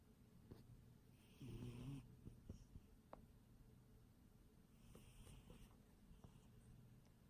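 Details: Sleeping domestic cat snoring indoors, two soft, low, rasping breaths about three and a half seconds apart, over a quiet steady room hum.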